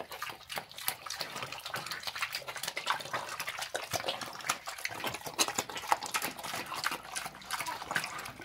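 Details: A pig gobbling slop, producing continuous sticky chewing, slurps and splashes of liquid feed at an uneven, hurried rhythm.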